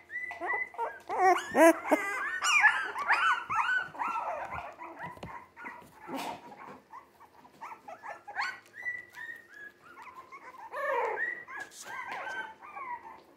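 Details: Jack Russell Terrier mix puppies, three weeks old and born 17 December 2020, keep up a busy chorus of overlapping whimpers, yips and wavering howls, loudest early, then thinning to scattered cries with a brief clatter.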